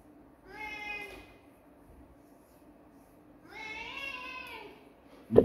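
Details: Kitten gives two plaintive meows three seconds apart, each rising and falling with strong harmonics, the second longer and more drawn out; a sharp bump ends the recording.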